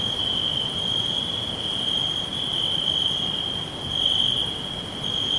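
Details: Steady shrill trilling of crickets in a forest, one sustained high note with brief louder swells, set against a constant low hiss.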